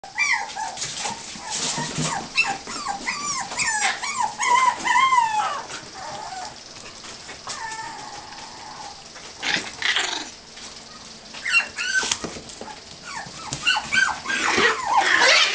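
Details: Puppies playing freely, giving many short high whining yips and whimpers with harmonic, arching tones, rapid and irregular, several voices overlapping, with scuffling and clattering bursts between calls.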